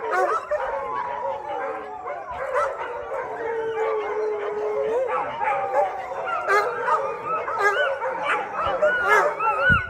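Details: Chorus of about 600 dogs at a no-chain, no-cage shelter howling in unison after a thunderstorm; long sliding howls weave through a thick wall of yelps and barks, swelling louder toward the end.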